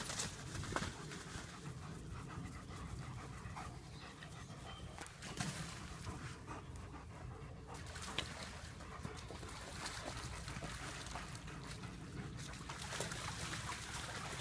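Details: German Shepherds at play, heard as steady breathy, rasping panting that runs through the whole stretch, with scattered soft knocks and rustles of movement around it.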